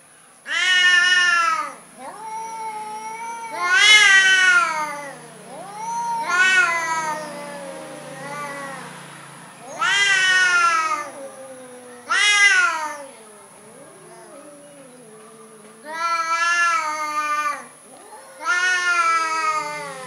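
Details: Timid orange domestic cats meowing: loud drawn-out harmonic meows, some rising then falling, repeating every two to three seconds with a few short quieter mews between, a steady high whine running throughout.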